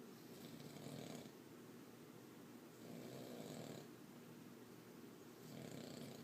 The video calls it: boston terrier snoring up a storm